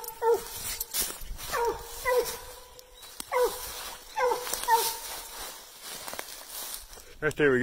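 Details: Bluetick Coonhounds barking treed: intermittent ringing, harmonic barks with falling ends, set against rustling, wind-like noise and a person talking outdoors.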